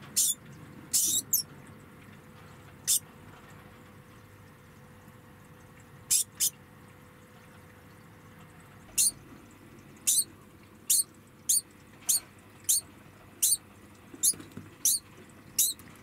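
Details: A degu, put in a small room while its cage is cleaned, squeaks in protest. It gives short, sharp, high squeaks, scattered irregularly and coming faster toward the end.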